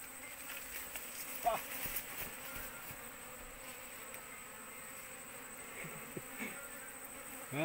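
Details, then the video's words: Apis cerana swarm clustered on an oil palm frond during a search for its queen; a continuous buzzing drone from many bees, with scattered soft knocks and a louder rush of buzzing at the very end. "proses pencarian ratu🐝Apis cerana yg nempel ke pelepah sawit"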